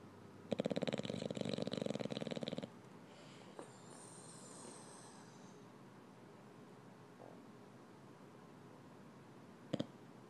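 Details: Kirby, an 8-month-old English bulldog, snoring while cuddling: a two-second burst of rapid, rattling, buzzy snorts, then quieter breathing with a faint high whine and one brief sharp snort near the end.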